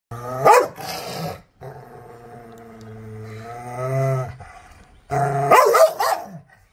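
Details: An angry Rottweiler gives a deep, harsh bark, holds a long low growling moan, then barks again.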